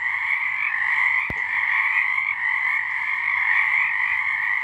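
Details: Frogs calling together after dark in March 2023, an even wall of buzzing, trilled croaks holding steady, interrupted early on by one brief sharp click.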